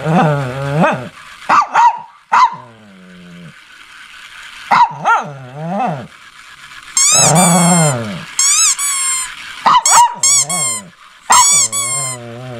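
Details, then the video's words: Shih Tzu barking and growling: a mix of deep growling barks and short snappy barks, broken by shrill, high-pitched squealing yelps in quick clusters. "Shih Tzu Barking And Growling"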